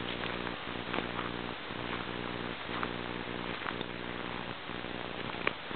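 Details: Low continuous humming from a porcupine, broken into regular pulses roughly every second like purring breaths, with a raspy overlay and a faint click near the end.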